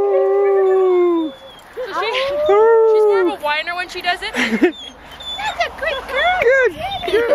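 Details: Captive female arctic wolf at a wildlife park in Orono, Ontario, February 6, 2011, coaxed by people into howling: a long steady howl, then rising and falling arched howls breaking into wavering yelps, with human voices joining in.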